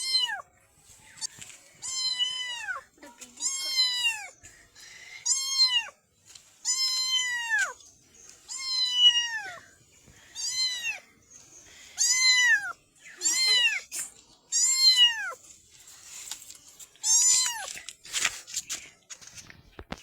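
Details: Tiny black kitten calling steadily: around a dozen clear, high meows, each bowed upward then falling, spaced about every one and a half seconds in a quiet room.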